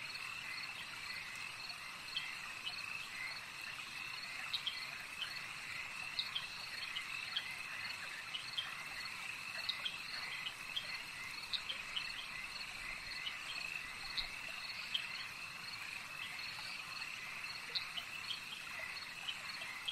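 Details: Lakeside frog chorus: layered high-pitched trills run on without pause, dotted with brief sharp clicks from many callers, over a constant hiss of night ambience.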